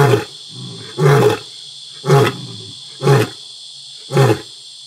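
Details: Two wild pride males of a lion pride roaring together at nightfall at Selinda Reserve, Botswana, vocalizing dominance over their territory as a warning to neighbouring lions; five deep, grunting roars about one second apart over a steady high insect chorus.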